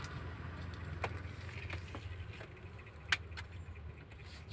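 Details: Low rumbling street and vehicle noise with scattered sharp clicks and taps; no animal sound is heard.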